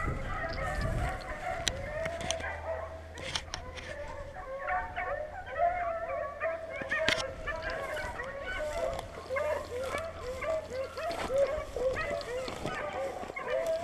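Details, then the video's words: Hunting beagles in Vera, Virginia, baying together as they run: many overlapping wavering, howling bays, mid-pitched and continuous, with a few sharp knocks and rustles in the background. "Lots of noise in Vera Va. Beagle power"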